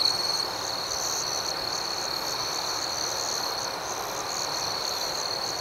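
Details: Crickets at night form an unbroken, even wash of high trilling with a faint pulsing, and no single caller stands out from the chorus.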